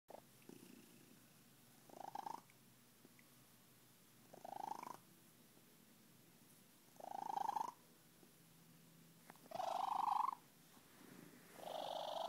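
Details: Miranda, a happy Siamese cat, purring: breathy, noisy pulses that swell and fade at irregular intervals of about two to three seconds, separated by quiet gaps, in a quiet indoor setting.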